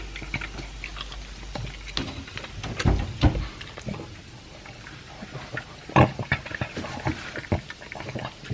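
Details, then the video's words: Two-year-old pug Elvis chomping dry food mixed with a chunk of beef, with irregular crunches, wet smacking and a few short snorty grunts near three and six seconds. "Pug Eating Sound"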